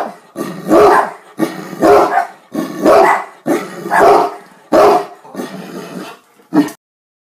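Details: Deep, booming barks from a Great Dane that loves to bark at his owner, meant as talking to him. Drawn-out howling barks, roughly one per second, with a short final bark.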